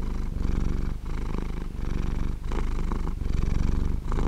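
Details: Sleeping cat purring close up, a deep vibrating drone that swells and fades with each breath, roughly one-second cycles separated by short quiet gaps, nothing else audible.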